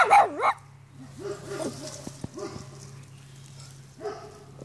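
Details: Pomeranian dog reacting to a dandelion it notices for the first time: two sharp high yips at the start, then softer whining, wavering yelps and short squeaky barks, with a steady low hum throughout.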